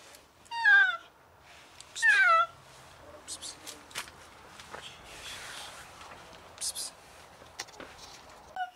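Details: Cat that fell into a closed alley and seems very sick, meowing desperately for help: two loud, falling meows close together at the start, followed by quiet shuffling and faint clicks.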